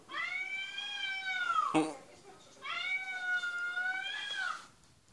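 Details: Two drawn-out meows from a cat on television, with a dog listening, each lasting nearly two seconds and trailing downward; a sharp click sounds between them.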